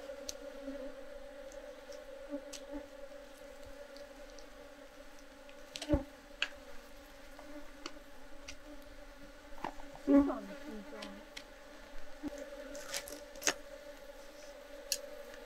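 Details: Japanese honey bees (Apis cerana japonica) in a traditional hobby hive in Japan during a honey harvest from natural beekeeping; a steady, low droning hum with a fainter higher overtone runs throughout, broken by occasional sharp clicks and knocks of handling.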